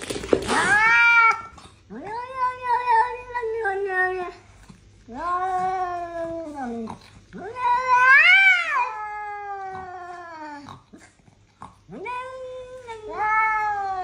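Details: Cats in a fight, yowling indoors; long drawn-out wailing caterwauls, each lasting one to three seconds, rising and falling in pitch, repeated with short pauses, ending with a sharp hiss-like burst.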